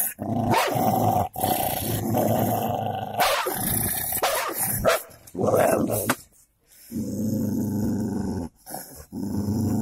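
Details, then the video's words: Golden labrador and cocker spaniel fighting, two dogs snarling: long rough growls broken by sharp snapping bursts and brief barks, with short pauses between rounds of aggression. "Golden labre with cocker spaniel fight"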